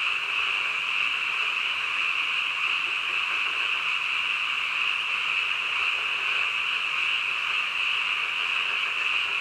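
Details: A chorus of frogs late at night, sustained shrill trilling from many animals blending into one constant drone with slight swells in loudness.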